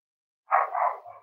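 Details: Cavalier King Charles Spaniel puppies, filmed on a livestream while playing with each other and exploring, give one short, yappy, whine-like bark that lasts under a second and trails off quietly, with no other clear sounds.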